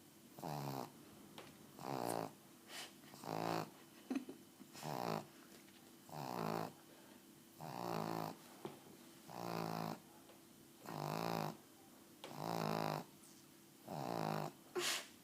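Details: Snoring pug in a small indoor room: steady raspy snores, each about half a second long, recurring roughly forty times a minute, with a faint steady hum beneath and occasional soft clicks.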